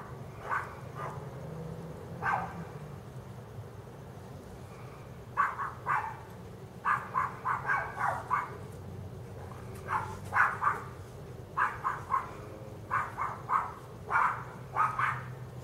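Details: Dog barking on D Street, sharp barks in irregular bursts of two to four, some single, repeated over about fifteen seconds with low background rumble.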